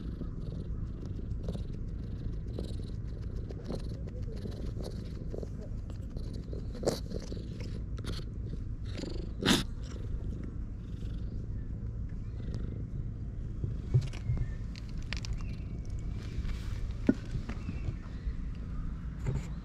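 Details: Low, continuous purring from stray cats gathered in the shade on a cat island, recorded on a GoPro HERO8, with intermittent sharp clicks and small knocking sounds over the even rumble.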